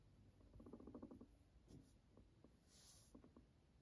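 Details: Guinea pig purring as a pet: a fast, vibrating buzzy burst of rapid pulses lasting about a second, followed by a few shorter sputtering pulses, with a soft rustle in between.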